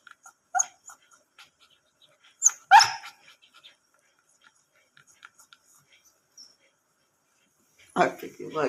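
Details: A pet dog named Bruno lets out a brief whine, then one sharp strong bark, followed by quiet scattered clicks and a loud rough burst of noise near the end.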